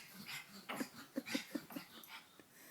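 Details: Female pug that doesn't like being laughed at, making odd noises: a quick run of short, snorting, breathy grunts, about five pulses in a second, with soft huffs before and after.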